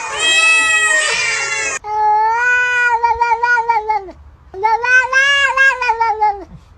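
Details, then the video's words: Cat producing loud, prolonged, wavering meows, each stretched over one to two seconds with a slight quaver, three in a row separated by short breaths; the first is harsh and strained. "the sound of a cat's meow"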